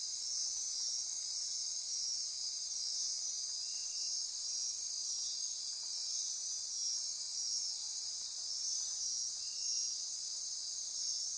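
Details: Dense nocturnal insect chorus in rainforest near Corcovado National Park on Costa Rica's Osa Peninsula at midnight: a steady, high shimmering wall of pulsing, trilling and buzzing, with faint whistled tones layered on top throughout.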